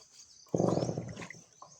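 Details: Untethered native pig in rural Burias Island, Claveria, sinking into water to cool off in the heat; a single loud, rough, buzzing grunt lasting over half a second, followed by faint snuffles and outdoor background.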